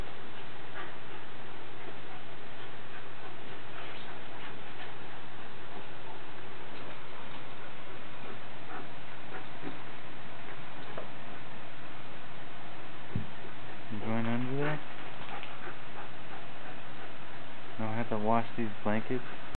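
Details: A 5-month-old male Bull Terrier, a clumsy dog who plays rough with a Jack Russell, gives two short bursts of rising, harmonic whining yelps over a low background rumble.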